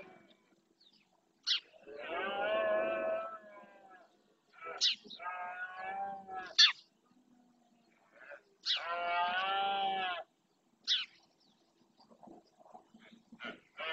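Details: Rutting red deer males in the Doñana marshes, Spain, bellowing to claim their territory: three long, harmonic, moaning roars of one to two seconds each, with sharp high chirps in between.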